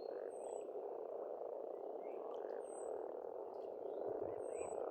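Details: Many frogs croak together at a pond in spring in Estonia, making a steady rasping drone. Short high whistled bird notes repeat over it about every two seconds.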